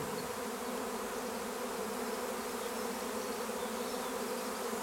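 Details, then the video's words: Honeybee swarm in Longué-Jumelles, France, flying near fir trees while being called to form a cluster: steady, dense buzzing drone of many bees, unchanging over the short stretch. "Essaim d'abeilles"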